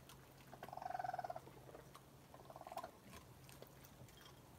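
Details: Raccoons eating at night about 1 am on a porch, mother with climbing kits: a quick pulsed trill chirp lasting under a second, then a second softer trill, with faint munching sounds and a low hum.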